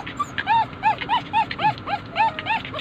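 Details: Poodle, one of several pet poodles, whimpering steadily: about eight thin, arched whines, each rising then falling, repeated roughly every third of a second over a low background hum.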